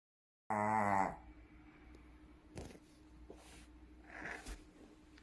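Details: Sleeping Shih Tzu dog giving a loud snore: a harsh, buzzy, strongly harmonic snort opens, then quieter breathy rasping snores come at intervals of about a second, with a hushed room background.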